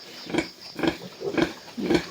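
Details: Farm pig, a sow that has just given birth, giving short, low grunts in a steady series about every half second, each a soft, breathy pulse, with faint background hiss.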